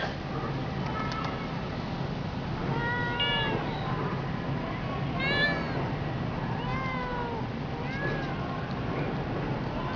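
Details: Talkative cat met on a street in Tokyo, Japan, giving a run of clear, tonal meows, some bending up then down, spaced one to two seconds apart over steady low urban rumble.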